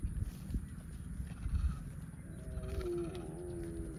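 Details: Cow mooing: one short, drawn-out harmonic moo that bends downward and levels off over the last second and a half, above steady low rumbling outdoor noise.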